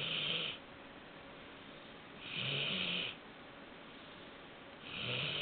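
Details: Sleeping Labrador Retriever puppy, four months old, snoring with long hoarse breaths roughly every two and a half seconds, each swelling and fading, hissy in tone over a low rumble, indoors and otherwise quiet.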